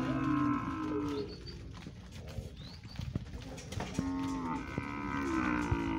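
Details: Nelore cattle, a lot of 26 males at a livestock auction in Monte Aprazível, São Paulo, on 16 January 2021: several drawn-out lowing moos with harmonic bands at the start and end, overlapping in a noisy hall.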